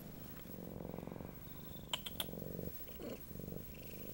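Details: Siamese cat Dory purring indoors, a low pulsing rumble with brief quiet gaps, overlaid midway by three quick sharp clicks.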